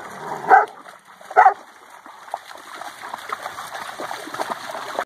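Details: Central Asian Shepherd, called alabai, playing; two loud deep barks about a second apart, followed by a steady rushing, splashing noise.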